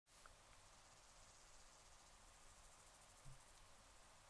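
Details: Male Tuberous Grey Bush-cricket, Platycleis affinis, in the Sierra Nevada, Andalucia, Spain, on 8 July 2022: a steady, faint, high hissing stridulation with fine regular pulsing that runs unbroken throughout. There is low rumbling background noise.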